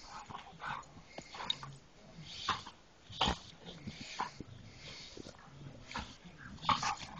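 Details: Dog snorting and grunting in scattered short bursts, with a few higher whimper-like squeaks and huffing breaths spread unevenly across the recording.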